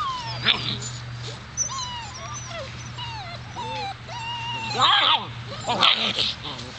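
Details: Seven-week-old Alaskan Malamute puppies from Daphne and Deuce's litter whimper and yip in thin, high, wavering whines that bend up and down, with sharper bursts near the end over a steady low electrical hum.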